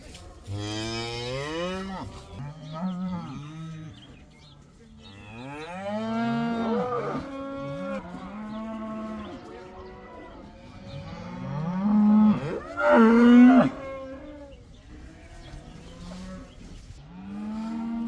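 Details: Cows, one of about 80 in a herd, let out of the barn for the first time; a long sequence of many mooing voices, rising and falling, overlapping, with a louder burst near the end.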